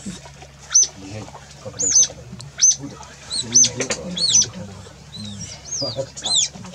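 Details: Otters alarm calling after being startled by a crocodile on entering the water, chasing it away; repeated high arched squeaks and chirps in quick irregular bursts over a low steady hum.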